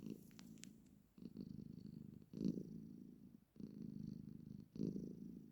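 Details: Pet cat, female, purring as she sits beside her owner: deep, rolling purr phrases about a second long, each followed by a short pause for breath, with faint clicks at the start.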